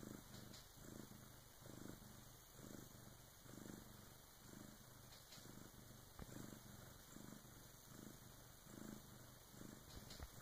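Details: Low, even purr of a Bengal cat around 3 a.m. as her first kitten is born with help from her big sister; rhythmic rumbling cycles about every second for ten seconds, with one faint click.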